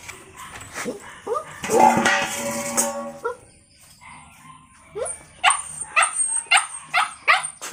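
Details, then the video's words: A puppy gives a few thin yips, then a drawn-out whining cry with clear layered tones, followed after a short lull by a rapid run of sharp high yaps. "Puppy voice, Puppy voice sound effect, Puppy Dog barking"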